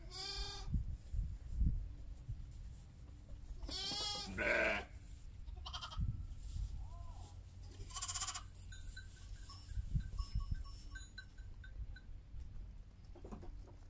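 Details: Heidschnucke sheep together with their lambs, giving a few wavering bleats, one loud quavering call near the middle, with quieter bleats and faint chirps over a low steady rumble.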